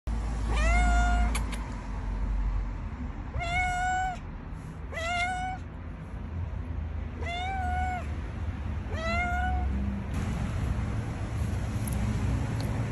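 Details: A cat that turned up at a front door wanting to go inside, meowing about five times in clear, slightly rising-then-falling harmonic cries spaced roughly one to two seconds apart, over a low outdoor hum.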